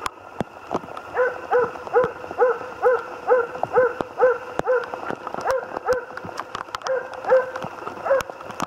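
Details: Moose-hunting Jämthund named Otis barking in a fast regular series, around two barks each second for several seconds, with scattered clicks and a steady background hiss.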